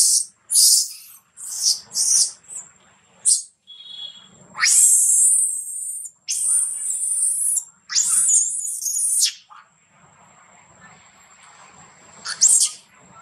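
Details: A baby monkey, mistreated and nearly dropped by another little monkey, cries loudly in shrill, harsh screaming bursts, calling for its mother.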